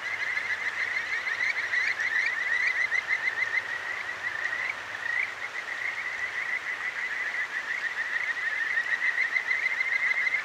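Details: Kajika frogs calling at night by a clear mountain stream in Akigawa Valley, Tokyo, Japan, recorded on a ZOOM H6: a dense chorus of quick, high, rising chirped notes pouring out continuously over the steady hiss of rushing water.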